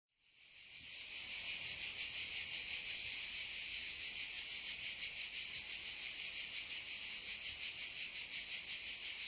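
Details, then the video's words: Cicadas singing together in a forest. After a fade-in of about a second, a loud, dense, high buzzing drone sets in and holds steady, shimmering with rapid pulses close to three per second. No other clear sounds. "Le chant des CIGALES"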